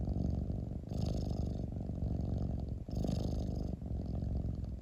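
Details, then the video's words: Purring cat heard up close: an even, deep buzzing rumble with two stronger breathy surges about two seconds apart. "Cat rumbling sound 猫のゴロゴロ音"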